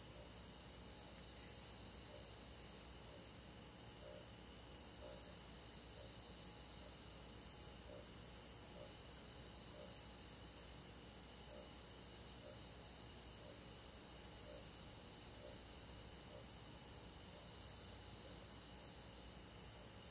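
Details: Crickets and other forest insects on a midsummer night in the countryside, a steady high chorus of rapid pulsed trills with faint regular beats, over a constant low background hiss.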